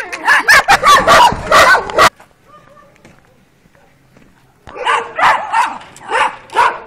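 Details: Twelve-week-old working-line Kuvasz pups, Béta and Pszí among them, out on their first street walk in April 2017; a two-second volley of sharp yappy barks, a quiet pause, then another run of evenly spaced barks.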